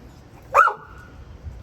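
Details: Pet dog at lunch while rotisserie chicken is shared at home, giving a single short sharp bark with a brief trailing tone, amid quiet room sound.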